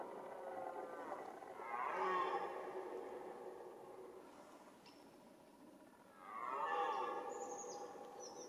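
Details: Red deer roaring during the autumn rut: two long, loud, harmonic bellows, the first swelling and fading over about two seconds, a second starting near six seconds, with faint bird chirps in the background.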